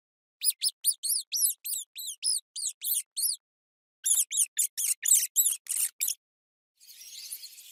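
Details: Mouse squeaking in two fast runs of short, high, arched chirps, roughly four per second, with a brief patch of hiss at the end.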